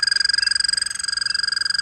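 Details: An American toad in Connecticut, a call heard in springtime, gives a steady, high musical trill of rapid, even pulses.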